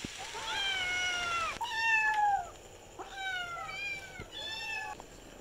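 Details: Kittens meowing while playing: a series of clear, drawn-out meows, each starting high and sliding slightly downward, four calls in about five seconds, with a quiet background.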